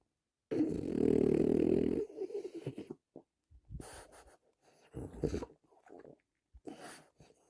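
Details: A relaxing French Bulldog snores: one loud, rough, rasping breath of about one and a half seconds, followed by shorter, softer snorting breaths at irregular intervals. Quiet pauses fall between them.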